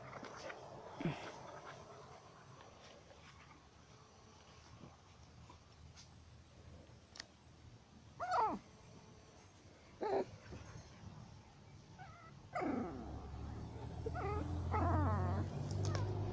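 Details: Norwich Terrier puppies on their first walk outdoors: a few sharp yelps that slide steeply downward appear at intervals, spaced one or two seconds apart, then a wavering whine near the end over low rumbling background noise.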